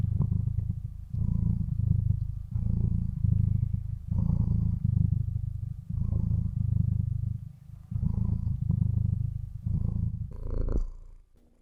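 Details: Domestic cat purring, recorded up close: a deep, steady rumble that swells and fades in regular breathing cycles, about seven or eight phrases each roughly one and a half seconds long, with brief quiet gaps between them.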